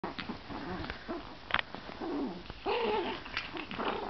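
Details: Chihuahua puppies play-fighting in bed: short curved yaps and squeaky whines rising and falling, a louder squeal run near the end, with soft rustling and bumps between calls.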